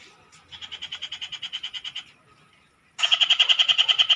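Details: Noisy frogs in a Philippine province calling in fast pulsed trains, a steady series of about fifteen even rasping pulses, a short pause, then a louder, quicker burst of pulses.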